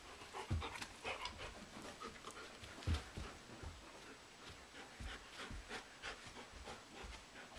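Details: German Shepherd Blondi and Doberman Sugar Tree wrestling energetically in a living room in April, watched by two young sheep, Dasher and Edie. Rough panting breaths and scattered scuffling thumps at an uneven pace, with a few sharp low knocks.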